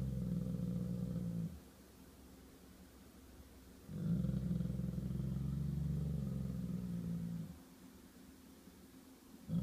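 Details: Golden Retriever gives long, deep, rumbling growls, pausing between each drawn-out grumble, in a standoff with a squirrel while defending his territory.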